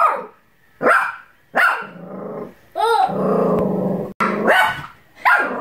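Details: A female Bichon Frise barks in sharp, high bursts with a rough growling stretch between them. She mistook her own reflection in a mirror for a dangerous dog, and a child laughs.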